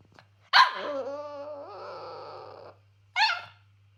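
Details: Cavalier King Charles Spaniel, angry because breakfast was too small, in a small room: a sharp bark that stretches into a two-second wavering whine, then one short higher bark.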